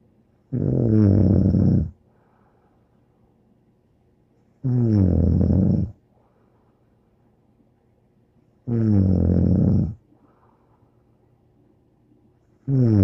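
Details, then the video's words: Bear, a dog, snoring: deep, rumbling snores of about a second and a half each, coming regularly every four seconds or so, with quiet breathing pauses between them and a faint low hum indoors. "More angel Bear Snoring"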